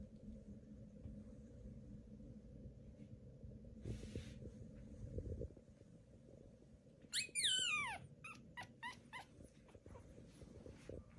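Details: Newborn Pomeranian puppies, on day 18, with soft rustling and handling noise for seven seconds before one puppy gives a high squealing cry that slides steeply downward, then several short squeaky yelps and whimpers.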